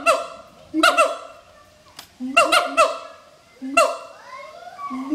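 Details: Mated adult siamangs at Schmutzer Primate Center giving their morning duet that advertises territory; deep boom followed by loud ringing barks, repeated about every one and a half seconds, plus a long rising slide near the end.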